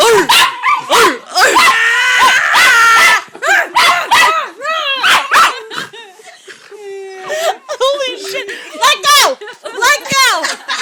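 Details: During summer at a Hampton rental, Jake the dog plays with his favourite large stuffed horse and gives excited, uneven barks and high, bending yips with brief whimpers, while people talk throughout.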